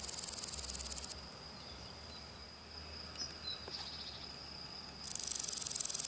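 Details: Grasshopper singing on a spring day: two bursts of dry, rapidly pulsed rasping, high and hissy, one at the start and one at the end. Between them a quieter stretch carries a thin, steady high whine.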